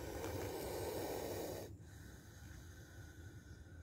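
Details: Spectacled cobra giving one long, breathy, low hiss of about a second and a half that cuts off sharply, followed by quiet background hum.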